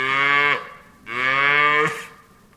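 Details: Farm cow giving two close moos, the first short and the second longer, each rich and nasal, ending with a brief breathy noise.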